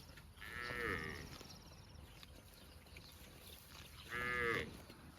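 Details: Cows grazing on grass in a park give two brief, rich harmonic moos a few seconds apart, each rising slightly then falling, over a low outdoor background hiss.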